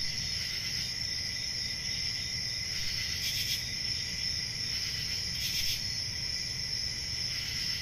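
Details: Crickets on a peaceful country summer night: a steady, high-pitched, unbroken trill with brighter, buzzier chirp bursts every two to three seconds over a soft low rumble.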